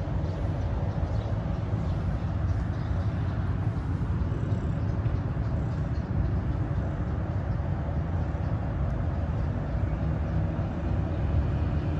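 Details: Continuous deep traffic roar of cars and buses outdoors in a city, with faint speech but no animal calls.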